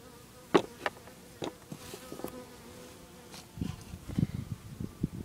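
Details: Early morning honey bees around 8 am, loud close buzzing bursts as individual bees fly past the recorder, rising and fading quickly in uneven succession.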